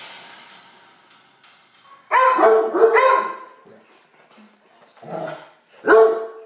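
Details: Big puppy Frankie greeting foster puppies while being told to be gentle; loud clustered barks and yips around two to three seconds in, then two more barks near the end.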